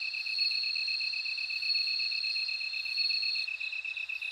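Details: A bell cricket sings: a sustained, shimmering high trill that breaks off after about three seconds, while a lower rhythmic insect trill carries on underneath.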